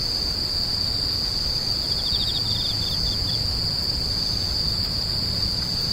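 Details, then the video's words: Grass insects crying: a continuous piercing high whine, with one short burst of pulsed, ticking trills in the middle, over a faint low rumble. "The sound of insects crying"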